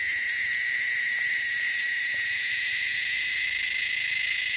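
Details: Cicadas in the wilderness give a loud, shrill, continuous buzz, steady and high-pitched with no break in rhythm.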